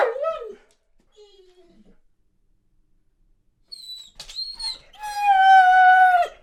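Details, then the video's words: Boarded Weimaraner longing for home: a short wavering whine, then quiet, then a high nasal squeal and a long, steady, piercing whine to close. "Веймаранер скулит и лает"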